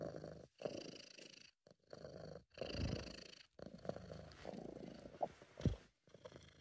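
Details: British Shorthair cat purring while relaxed and content, in an amateur home recording: low, rough rumbling in short bouts that swell and fade with each breath, broken by several abrupt silent gaps.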